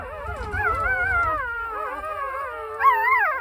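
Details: Puppy in the countryside giving a drawn-out, wavering howl with several overlapping tonal lines that rise and fall, ending in a brighter, higher wail; faint low rumble underneath.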